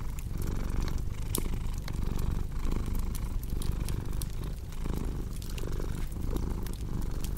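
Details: Domestic cat purring steadily, a low rumbling throb that swells and fades with each breath roughly every 0.8 seconds, over the sharp pops and snaps of a crackling fireplace.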